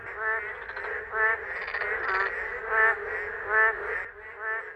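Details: Boreal digging frogs at a forest rain pool during the summer monsoon rains, males serenading females: a chorus of buzzy, rapidly pulsed croaks, loud bursts recurring roughly every second over a continuous calling background.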